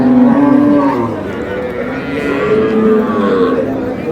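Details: Cows with calves at Ambari haat cattle market in Dinajpur, March 6, 2026, lowing loudly: a strong, sustained moo that wavers slightly in pitch across four seconds, with faint crowd talk behind.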